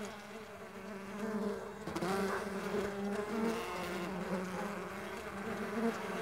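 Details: Mandaçaia stingless bees in flight, a continuous buzzy hum with wavering pitch bands that rise and fall as individual bees pass, growing louder after the first second.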